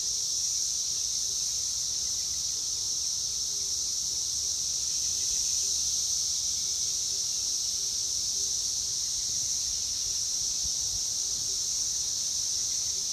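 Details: Brood X 17-year periodical cicadas in Indiana, USA, in 2021, emerged from the third week of May. Males calling to mate make a steady, high-pitched droning buzz that never lets up.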